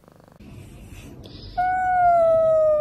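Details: Domestic cat, filmed in close-up, gives a single long, clear meow that starts after a quiet, rustling opening and slowly slides downward in pitch while holding steady for over a second.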